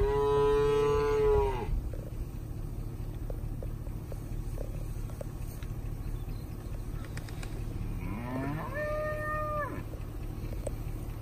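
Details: Cow-calf pairs of Angus, Brangus and Black Motley Face cattle, cows 2-7 years old with newborn to older calves: a loud moo fades out early, then after a quiet stretch a second bellow rises, holds and drops, over a low hum.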